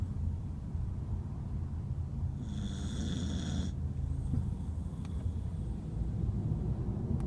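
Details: Snoring Corgi named Kotaro, deeply asleep in a crate after tiring himself out playing; a steady, deep, rough rumble of breathing, broken once by a brief high hissing burst midway.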